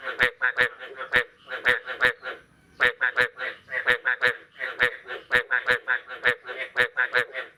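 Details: After the first rain of the year, frogs call on the morning of 9 May 2022: steady chorus of nasal, quacking croaks in rapid bunches, with occasional sharp ticks.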